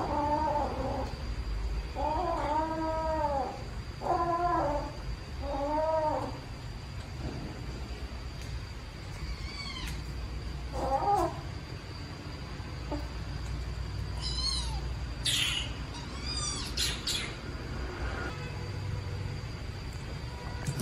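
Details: Black kitten abandoned in a trash box on the street: a quick series of lower, wavering mews opens, then silence with steady hum, followed by faint, thin high meows late on.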